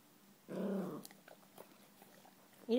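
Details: An 11-month-old Yorkshire Terrier puppy growls indoors at his own reflection: one short, low, rough rumble lasting about half a second, followed by quiet room sounds and the start of a woman's voice.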